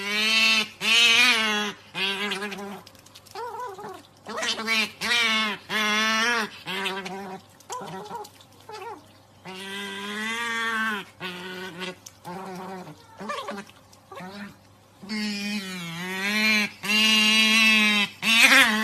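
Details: An otter demanding treats with an odd, insistent voice: rapid strings of high, wavering whistle-squeals with rich overtones, rising and falling, repeated over and over with short gaps.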